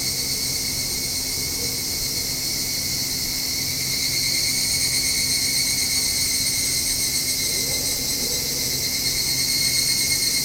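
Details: At a house balcony in the evening, evening cicadas give a continuous bright, sizzling drone high in pitch, constant throughout with a low steady hum under it and gentle pulsing in volume.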